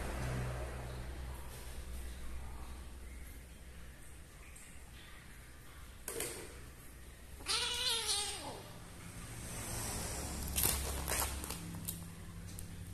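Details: Frightened kitten found behind a door, crying in fear: a single loud, arched, harmonic meow rising then falling near the middle, surrounded by quiet background hum, a few knocks and clicks, and low rumbling.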